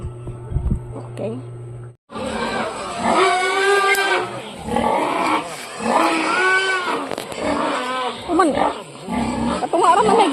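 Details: Farm pigs squealing at feeding time, in a pen where a sow had refused to nurse her piglets for two days; after a short quiet start with electrical hum, loud harmonic squeals rise and fall in overlapping bursts, mixed with a person talking.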